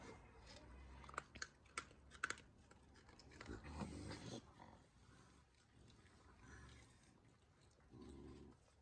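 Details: Little Dottie, a young rescue raccoon filmed in October 2019, acting fierce toward Sally and her son Rascal. Sharp squeaky bursts come in quick succession over the first seconds, then rustling and chewing-like noises, and a low rough grumble near the end.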